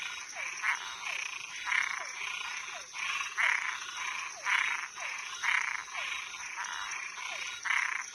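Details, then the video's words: Night chorus of frogs and tree frogs: harsh, buzzy pulses about once per second alternating with faint descending chirps, backed by a continuous high-pitched hiss. "Som de animais noturno Sapo e perereca"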